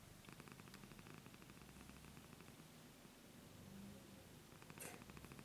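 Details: Elderly domestic cat, 15 years old, purring softly; low rhythmic rumble, quieter and less regular, with a short rustling noise near the end.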